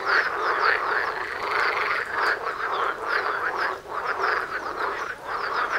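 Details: Mating chorus of frogs right by a house entrance: busy overlapping croaks with rhythmic rattling pulses, loudness swelling and dipping slightly as individual callers start and stop.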